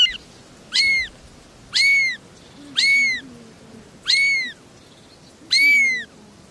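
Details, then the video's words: Three little kittens meowing: five high, thin, arched cries, each rising then falling, spaced about one second apart, over a quiet background hiss. "Three little kittens are meowing"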